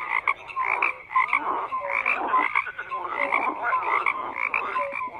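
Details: Many frogs croak at once in a thick, unbroken chorus; rapid rattling pulses mix with brief whistle-like notes, steady in loudness throughout.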